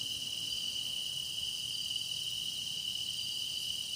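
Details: Grass insects singing for a meditation piece: a dense, unbroken shrill chorus with one steady piercing tone and a fainter shimmering layer above it, even in loudness throughout, with no other sounds.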